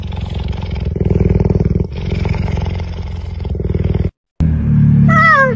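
A cheetah gives a low, rumbling purr, then a short high meow that dips and rises.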